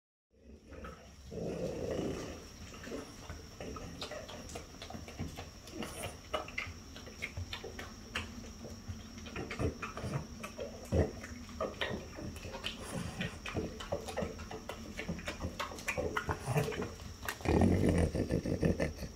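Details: Two French Bulldogs, mother Ume aged five and daughter Roku aged four, indoors eating Fukushima peaches; low snorting and grunting breaths with wet chewing clicks and smacking throughout, louder near the end.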